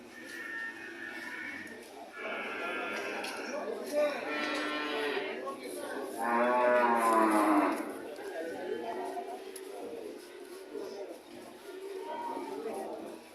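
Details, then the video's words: Cattle bellowing at an animal market, a run of strong harmonic moos in quick succession followed by fainter lowing, with people talking in the background. "Sound of cow"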